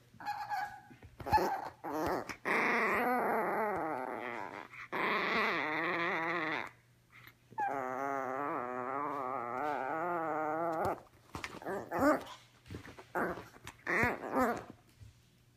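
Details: Ricci, a teacup Yorkshire Terrier puppy obsessed with his ball, lets out long, wavering high whines lasting several seconds each, sliding up and down, broken by short clicks and yips, with a steady low hum underneath.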